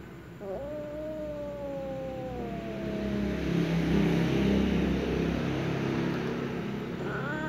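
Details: Black female cat, jealous, targeting a playing ginger cat: a long, slowly falling moaning yowl, then a low rumbling stretch and a short rising wail at the end over steady background hum.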